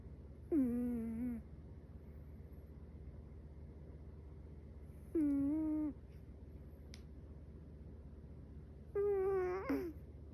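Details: Metaru, a young Chihuahua asleep, snores in three squeaky, hummed whines, each under a second and gently falling, spaced about four seconds apart, with a faint click between and a low steady indoor hum.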